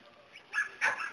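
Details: Border Collie shepherd dog giving two short, sharp barks in quick succession, the second louder, over a quiet background.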